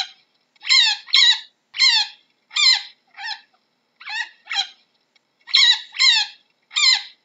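A chinchilla calls with sharp, raspy squeaks that fall slightly in pitch. They come singly or in quick doubled bursts, separated by brief pauses.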